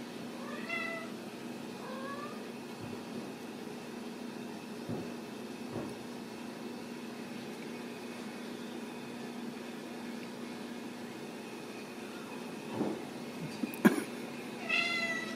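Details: Ragdoll kittens raised uncaged in a home cattery in central Kansas; a few thin, high meows near the start and again at the end, with a soft hum and occasional knocks in between.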